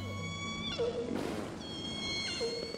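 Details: Orca calls recorded by hydrophones of the VENUS underwater observatory in the Strait of Georgia, British Columbia, a busy shipping lane: two harmonic, squealing calls that bend in pitch, over a low hum.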